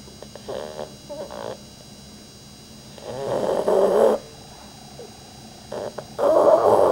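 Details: Pet dog Rudy sleeping, with a few short sniffs and snorts before a long rising rasping snore and another starting at the end, amid a quiet room hum.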